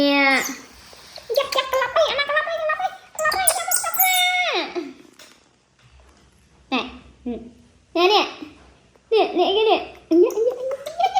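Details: Baby monkey crying: high, wavering wails with a rising and falling pitch, coming in loud bursts separated by short pauses, indoors.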